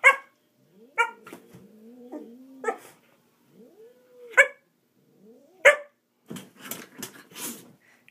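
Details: Playful dog Murphy failing to engage a cat: a string of short barks mixed with wavering whines, ending in rougher, noisy scuffling bursts.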